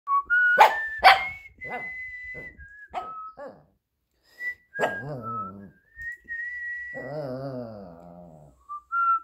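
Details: Shih Tzu named Minnie howling along as a person whistles: thin pure whistled notes alternate with sharp clicks, then two wavering, nasal howls of about a second each join in near the end.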